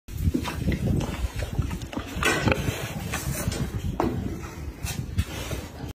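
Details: Sow nursing her piglets, giving a steady run of low, rapid grunts with a few sharper higher-pitched squeaks and clicks scattered through, over a constant rough farmyard background.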